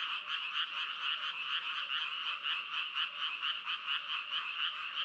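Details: Dense croaking of frogs, rhythmic pulses about twice per second standing out above a continuous buzzy chorus of many callers, steady and without pauses.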